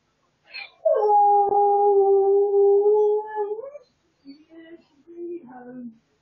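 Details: Husky caught on hidden camera crying with joy on realising its owner is almost home: a long, steady, harmonic howl held for nearly three seconds, then shorter wavering whimpers and whines.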